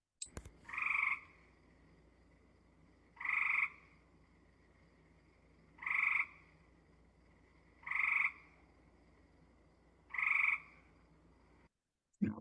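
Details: Gray treefrog, a pulsy call unlike the buzzy Cope's: five loud trilled bursts, each about half a second, repeated every two to two and a half seconds over a quiet background.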